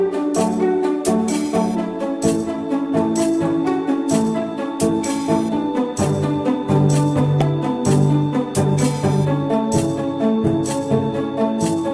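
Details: Loud upbeat music with tambourine, jingling percussion and drums, and no animal sounds audible.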